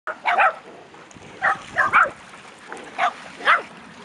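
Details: Dogs on a beach, six 10-month-old puppies with their mother at a litter reunion, 3 August 2011: short, high yapping barks in quick pairs, about five bursts over four seconds, over faint background noise.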